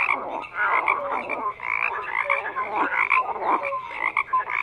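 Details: Chorus of croaking frogs: a thick wall of overlapping throaty croaks mixed with brief piping notes, swelling and dipping irregularly throughout, nothing else clearly audible.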